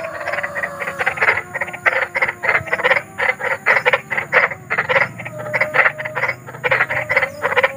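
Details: Night chorus of large frogs outdoors, meant for soothing children to sleep; rapid rattling croaks repeated in short bursts, many callers overlapping, a faint low hum and steady high background whine.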